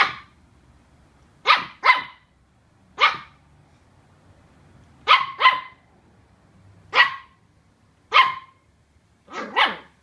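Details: Welsh Terrier pup barking at a cardboard box that intimidates it: loud, sharp barks, often in quick pairs, about ten in ten seconds at an irregular pace.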